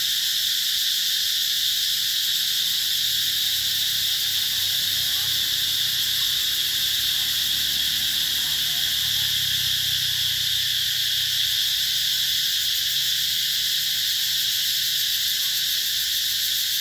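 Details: Cicadas at Mỹ Luôn eco-tourism site near durian and Thai jackfruit orchards, 2021, heard as a dense, unbroken high shrill drone with steady layered buzzing bands throughout, faint low rumble beneath.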